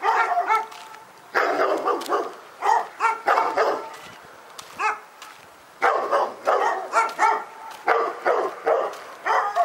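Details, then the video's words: Dog barking at Pyrga: bursts of sharp, harmonic barks in quick runs, a pause near the middle, then another rapid volley of yapping barks. "Pyrga Barking Nightmare 18"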